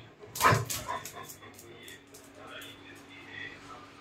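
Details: Laiza, a pet Labrador Retriever hunting for a rat in the house, gives one sharp, loud bark near the start, followed by softer human voices talking in the background.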